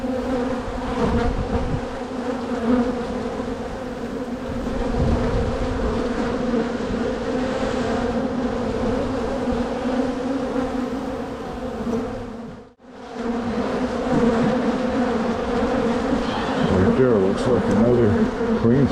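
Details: Honey bees from a crowded spring hive being split to prevent swarming, a continuous layered buzz with steady low and mid tones, momentary dropout near thirteen seconds before the drone swells back.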